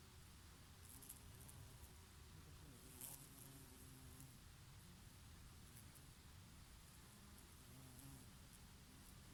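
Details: Bees grazing on oregano flowers, their favourite, in summer; a low, wavering buzz drifts in and out as insects pass close, over a steady rush of summer breeze.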